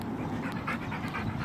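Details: Husky at playtime in a park, panting in quick rhythmic breathy bursts about five times a second, over steady low background rumble.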